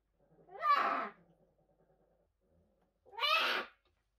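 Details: Orphaned new-born brown bear cubs at a rescue centre, 2023, having lost their mothers: two loud, harsh, harmonic bawls, each under a second long, about two and a half seconds apart, with near silence between them.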